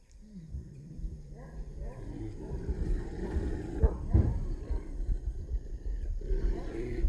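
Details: Rough, deep growling and snarls from street dogs clashing over a female, building in intensity through the middle with irregular louder surges.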